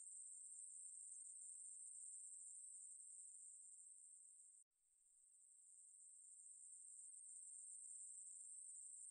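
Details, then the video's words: Ruspolia katydid song, National Institute of Biological Resources, 2020: a sustained high, sizzling buzz that thins slightly, cuts out abruptly for a moment midway, then swells gradually back to full strength. "매부리, 여러번 듣기, 곤충소리"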